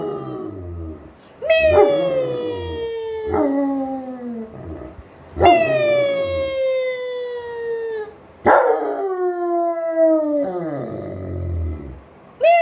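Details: German Shepherd following its owner indoors, letting out four long howling whines that start high and glide steadily downward, spaced a few seconds apart, with faint low rumbling between calls.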